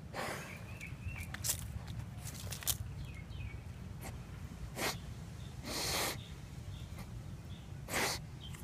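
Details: Sniffing Basset Hound giving a rapid run of quick sniffs, then several longer, hissing snorts and sneeze-like exhalations, with outdoor ambience and a few distant bird chirps.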